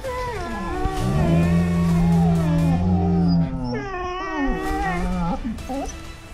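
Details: Three malamutes howling together in a chorus, reacting to a prank bag that moves by itself; long sliding wails rising and falling in overlapping voices, swelling then fading, with background music.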